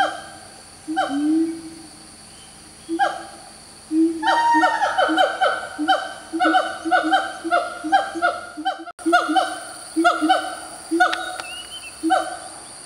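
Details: A siamang in a Malaysian tropical forest, where its loud calls are commonly heard in the morning, gives loud, ringing whoops and barks that quicken into a rapid series. This is a territorial call, made while its throat swells grey.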